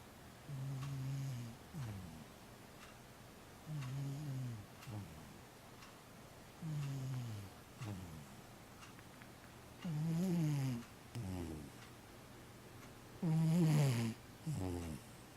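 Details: Cat snoring indoors. Five low, droning inhale snores arrive about every three seconds and grow louder and brighter toward the end. Each is followed by a short, breathy exhale.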